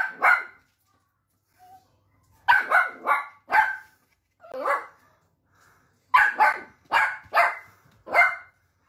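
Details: Pet Dachshund barking in bursts: a single bark, then a rapid run of three or four sharp barks, another lone bark, and a final quick series of five, clear and close with a quiet background.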